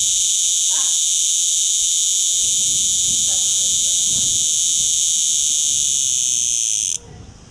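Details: On the wall of a holiday villa in Portugal in August 2011, a cicada gives an intense, shrill, continuous buzz held at one level for several seconds, then cuts off abruptly, with faint low voices and rustling behind.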